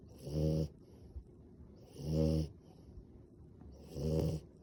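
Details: Eyes-open sleeping French Bulldog producing three rumbling, buzzy snores, evenly paced about every 1.8 seconds, each a coarse low drone with a faint hiss on top, soft breathing in between.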